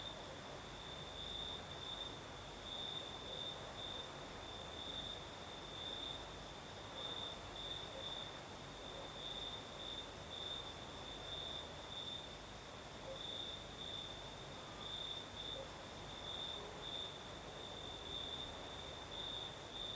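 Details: Crickets singing on a southern night in Crimea with a night breeze: a steady high chirping band, pulsing in short bursts, above a high hiss and broad soft wind-like noise.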